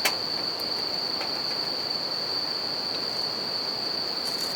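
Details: Bell crickets keep up a constant high ringing at night near a campfire and river, a single sustained tone over rushing water, opening with a sharp pop from the fire and a few faint crackles after.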